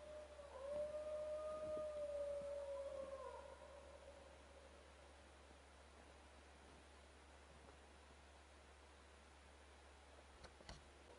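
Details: Wild dogs howling at a camp: one steady, drawn-out tonal howl with a faint upper harmonic holds level for about three seconds, then slides down and fades, leaving a quiet background with a couple of brief clicks near the end.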